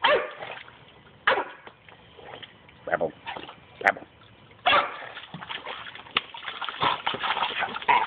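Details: Staffordshire bull terrier just under 11 months old, an adolescent male, splashing around in his pool while barking; short harsh barks burst out at intervals among constant splashing water noise.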